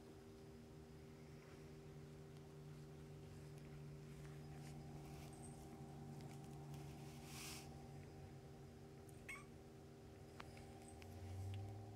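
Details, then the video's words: Kittens nursing and playing beside their mother cat in foster care for the Humane Society of North Texas; a continuous low, pulsing purr rumbles throughout, with soft rustling and a brief faint squeak near the end. "Kittens Nursing, Purring, Playing"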